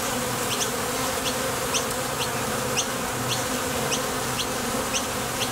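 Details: Steady hum of bees crowding the entrance of a Top Bar Hive while heading out for nectar or returning; the low drone holds unbroken while brief high clicks come roughly every half second.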